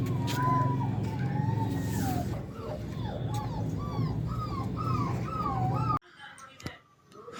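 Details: Young puppies offered for sale in India whimper in quick, high yelping notes that bend up and down, over a loud low hum, with a voice and a passing vehicle; the sound cuts off sharply near the end.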